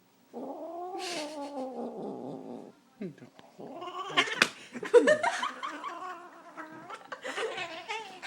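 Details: Pet female cat held by her owner's father, growling at him: a long, low, wavering drawn-out growl for about two seconds, then a person talking and laughing softly, with a few more muffled cat sounds under the voice.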